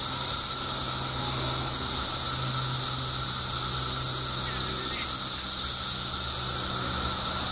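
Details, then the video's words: Periodical cicadas in Illinois, part of a mass emergence of billions after 17 years underground, forming a steady, dense high hiss with a thin steady tone beneath and a faint low hum. "Billions of Periodical Cicadas Emerge After 17 Years Underground Cicadas Making Noise"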